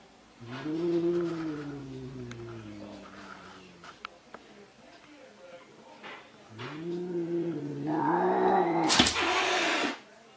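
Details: Angry domestic cat caterwauling indoors: two long, low, wavering yowls lasting several seconds each, sliding gently up and down in pitch, the second breaking into a sharp, harsh hiss-like burst near the end.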